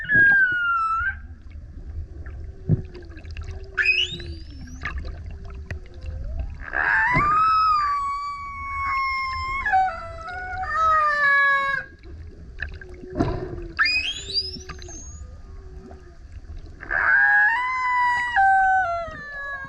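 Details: Loud song of a male humpback whale that keeps coming up next to a kayak: long, howling harmonic moans that slide down and up, broken by rising swoops and low grunts, repeating in phrases over a gentle wash of water.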